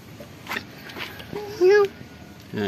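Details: Hungry cat living at a pagoda, being fed, gives one short rising-then-falling harmonic meow amid soft low murmuring and brief bursts of handling noise.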